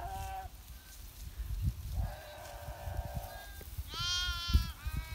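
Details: Sheep of a Himalayan shepherd in winter: a few drawn-out bleats, one long flat call, then a high quavering bleat, over low rumbling noise.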